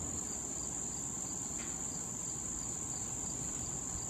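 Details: Crickets in late summer beside a patch of wild tall thistle visited by bees and butterflies; a steady, high, unbroken ringing trill with softer pulsed chirps repeating beneath it and a low background rumble.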